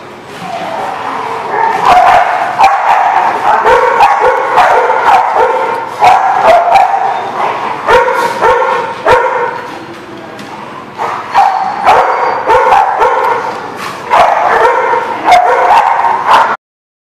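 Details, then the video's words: Dogs barking at a dog kennel or boarding lot, recorded November 22, 2019; dense, loud overlapping barks and yips repeated several times a second, with a short pause near ten seconds. "The Barking Lot"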